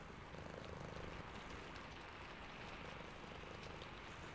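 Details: Sleepy cat purring in the rain: a low, finely pulsed rumble comes in two bouts, around the first and fourth seconds, under a steady hiss of falling rain with scattered raindrop ticks.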